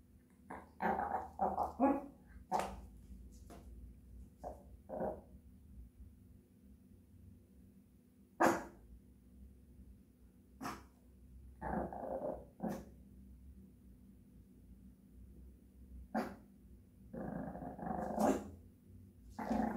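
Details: Japanese Chin dog singing: uneven clusters of short, rough, growly yowls and bark-like bursts, some drawn out into brief moaning notes, separated by quiet pauses, with a faint steady hum behind.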